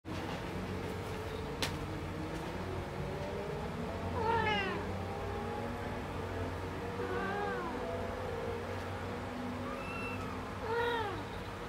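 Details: Del, a rescued kitten in a multi-cat household, works hard at using the litter box while giving three clear, harmonic meows: one rising then falling near the start, a softer wavering one midway, and a final bright pair, over a steady low hum.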